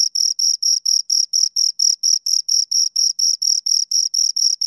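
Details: Crickets, two of them, chirping in a steady high-pitched series of slightly longer scraping pulses, about four per second, against silence.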